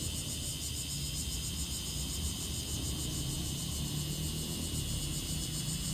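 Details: Bear cicada calling: a dense, steady high-pitched buzz with faint rhythmic pulsing runs throughout, over a heavy low rumble like passing traffic.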